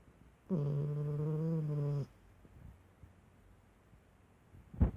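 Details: A snoring dog makes one steady, droning, low snore of about one and a half seconds, with a humming, nasal tone. Quiet rustling follows, and a brief louder noise comes at the end.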